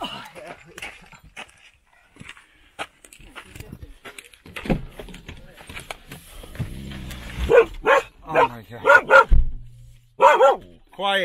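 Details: Standard Poodle barking outdoors in Sun Valley near Ketchum, Idaho, while out with its family on a hike; quiet talk and rustling give way to a burst of loud, sharp barks in quick succession, with a person speaking between them.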